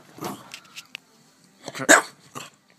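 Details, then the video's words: A cranky French Bulldog lets out a few short grumbles, then one sharp loud bark, followed by a softer grunt. "TOP 10 CRANKIEST FRENCH BULLDOGS"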